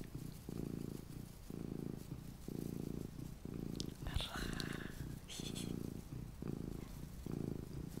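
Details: Small domestic cat purring indoors, a low steady rumble pulsing on and off about once per second with each breath, interrupted midway by brief rustling and tapping sounds.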